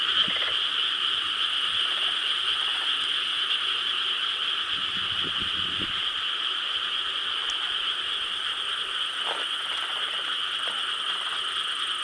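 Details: Frogs calling together at night in rice paddies in Korea, recorded 4 July 2013: a dense, continuous chorus with steady overlapping croaks in high bands and no pauses, plus a few faint lower sounds.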